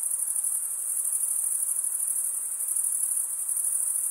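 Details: Night-time cricket chorus in a summer forest, a bright sustained high-pitched trill made of quick regular pulses, steady and unchanging, with only faint background hiss.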